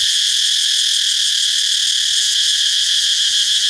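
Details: Cicada in a Thai forest garden, its sound made not from the mouth but at the abdomen: an intense, continuous high buzzing drone with a rapid shimmering pulse, steady in loudness from start to finish, nothing else clearly audible.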